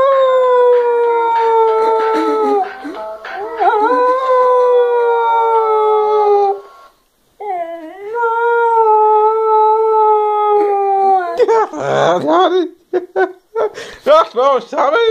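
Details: Pet dog howling along to keyboard music played from a tablet: two long, steady, slightly falling howls of several seconds each, then short broken yelping howls mixed with the music.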